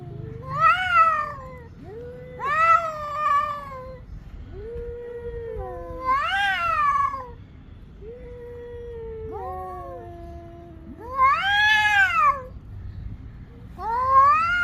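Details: Fighting domestic cats trading loud harmonic yowls and wails in bursts roughly every two to three seconds, some calls rising then falling, quieter drawn-out moans between the louder outbursts.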